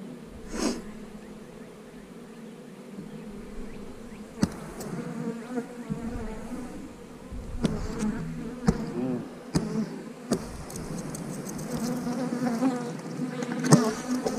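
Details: Honey bees at an eight-frame hive, a steady low hum droning throughout with scattered sharp clicks and knocks, faint noise rising toward the end.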